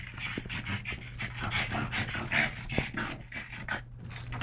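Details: Pant of pugs Yogi and Mister, rescued brothers from Malta's SPCA, during a wrestling bout; quick regular breathy huffs, roughly two and a half per second, bright and airy, with a low steady hum underneath.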